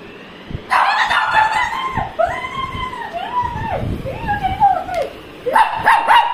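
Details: Shih Tzu at dinner demanding snacks rather than dosa: a long sequence of vocal whines and yowls, wavering up and down in pitch, with brief barking bursts at the start and end; a woman speaks Tamil nearby.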